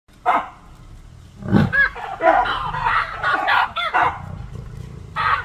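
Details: Baboons in Kruger National Park give loud, harsh barks at a lion, which barks back; short gruff bursts repeated in a ragged exchange.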